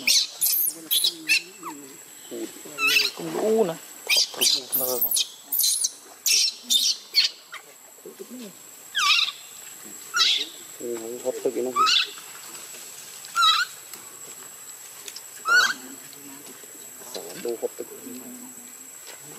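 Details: Baby monkey Luno screaming and crying after his mother leaves him in the water; shrill, sharply sweeping high cries in short bursts, some with lower tonal wavering wails, repeated irregularly every second or so.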